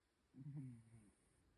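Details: A sleeping cat said to snore very heavily gives a single low, rough, droning snore lasting under a second, then quiet.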